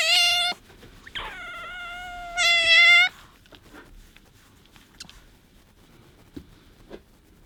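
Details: Attention-wanting squeals from Bingo the pet otter, being affectionate toward a hand: three drawn-out, shrill, level whines, the last loudest, separated by brief pauses, followed by quiet rustling.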